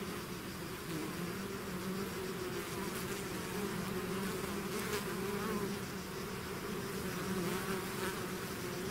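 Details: A swarm of bees leaving its hive makes an unbroken, rich buzzing hum, slightly wavering in pitch as individuals overlap, with faint clicks and crackles above the drone.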